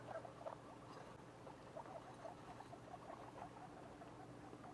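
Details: Soft, closely spaced squeaks repeated throughout from guinea pig babies two weeks after birth, with a faint low hum underneath.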